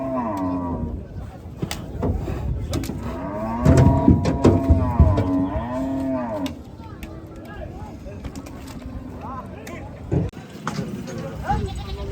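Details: Gaiya cows on a cattle farm mooing repeatedly, deep harmonic bellows overlapping in the first half, clattering knocks and handling noise, quieter stretch with scattered bangs later.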